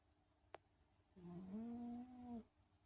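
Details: Domestic cat snoring while asleep indoors: one soft, drawn-out nasal snore lasting about a second, low and steady, slightly rising at the start, with a faint tick just before it in a quiet room.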